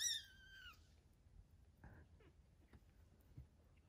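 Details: Three-week-old foster kitten playing indoors: one high, bright meow falling away at the very start, then a faint short squeak and light tapping noises from play.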